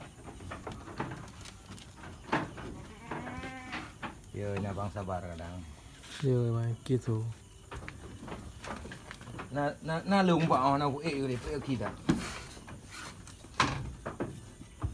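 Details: Goats in a farm pen at Indatu Farm, Lhokseumawe, Aceh, giving several wavering, quavering bleats a few seconds apart, with people talking nearby and scattered knocks in the barn.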